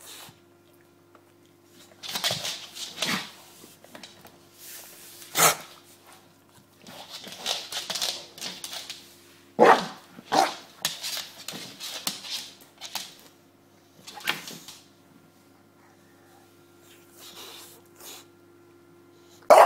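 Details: Indoors, James the bulldog plays with his pillow, letting out scattered barks and grunts amid much rustling and scraping over twenty seconds, with a steady background hum.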